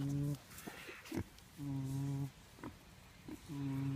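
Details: Pig snoring in slow, regular breaths: three low, buzzy, humming snores of under a second each, separated by quieter gaps with small clicks and faint voices.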